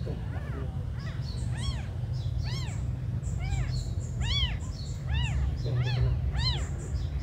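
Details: Little abandoned kittens giving loud, arching, harmonic-rich mews spaced about every second, sharp and clear above a persistent deep background hum.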